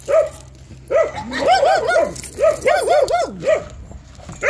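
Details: Jindo dog Cheondori, tied outside in cold weather, lets out quick arched yelping barks, single yips and short clustered runs spread across a few seconds.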